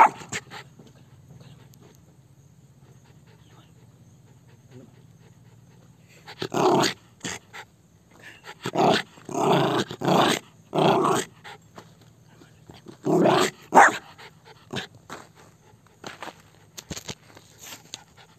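An Indian Spitz gives bursts of sharp, harsh barks, a few in quick succession, with pauses between.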